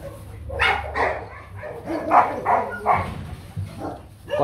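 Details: A young male Rottweiler stud, Nano Gervi of the Gervi kennel, sire Bruno and dam Melsee Gervi, lets out a string of short, uneven yapping barks about every half second, mixed with low background voices.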